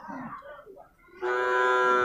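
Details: One of six male water buffalo calves for sale at Purwakarta animal market, Indonesia, 19 February: brief speech, then a sudden loud, sustained, strongly tonal bleating bawl that continues to the end.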